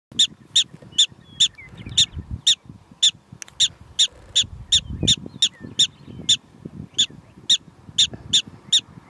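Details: Prairie dogs in Theodore Roosevelt National Park giving sharp, high chirping barks, repeated about every third of a second in a steady run, over a low rumble of wind or handling noise.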